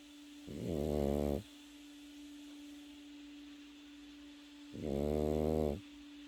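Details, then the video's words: A sleeping Pekingese puppy snores twice, each drawn-out rasping breath lasting about a second, separated by four seconds of quiet, with a constant hum underneath. "패키니즈 코고는 영상"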